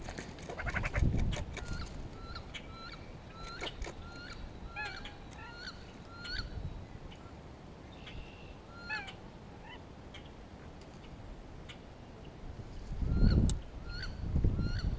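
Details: Grey squirrel in spring, calling as it responds to a hawk in the area and communicates with another squirrel: a quick series of short, sharp, barking kuk notes, roughly three each second, with low thuds and rustling underneath.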